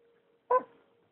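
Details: Indoors, the pet cat Ducati gives one brief chirping meow in reply to his owner, set against a quiet, constant background hum.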